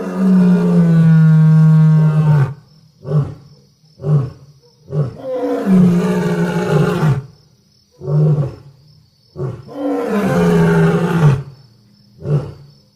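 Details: Lion giving a long, full, deep roar, followed by a series of short grunting roars repeated about every second, then another long roar and more grunts; a faint steady high tone runs behind.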